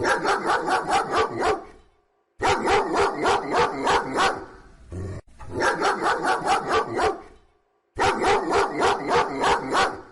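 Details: Dog barking in rapid, even runs of about four barks a second. Each run lasts around two seconds and is split by short silent gaps.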